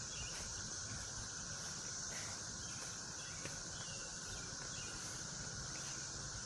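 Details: A chorus of cicadas, some flying around a garden rose while puppies are walked, makes a steady, unbroken high buzz, like the hum of machinery.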